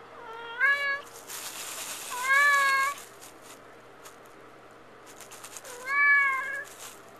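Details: Tux, a male cat kept in the bathroom at night, wants out and meows three times, each call a loud rising-then-falling harmonic wail about two to three seconds apart, in a quiet indoor room.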